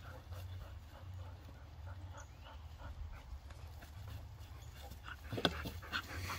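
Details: Three dogs, Bonny a Bull Terrier mix, Waylon an Airedale pup and Lucy an Airedale, wrestle roughly over a detergent bottle on a rope; quick breathy panting bursts repeat under a steady low rumble, with one sharp snap near the end.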